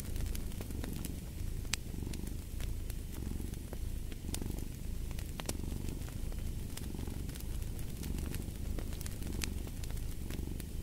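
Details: Steady cat purr, low and buzzing, pulsing in even breathing cycles for the whole stretch, with a fireplace crackling and popping sharply over it.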